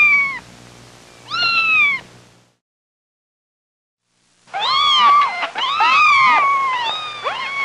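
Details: Kittens playing on farm grass alongside dogs, rabbits, cows and mice give loud, drawn-out meows that start high and slide downward. Two separate cries come first, then a pause, then a burst of several overlapping meows from more than one cat.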